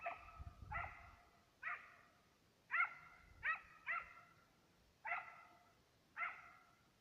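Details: Two Serbian hounds on the trail of fox and roe deer while hunting. Distant, ringing, harmonic barks come in uneven bursts, about eight in seven seconds, some in quick pairs, over a quiet background with faint low rumble.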